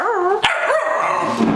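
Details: Pembroke Welsh Corgi urged by its owner to talk again, answering with a wavering, warbling chortle of rising and falling yodel-like notes, broken by a short sharp click near the middle.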